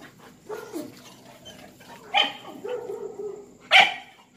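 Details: Dogs kept confined in mating season, sounding jealous and sad, give wavering whimpers between two sharp, bright barks about a second and a half apart.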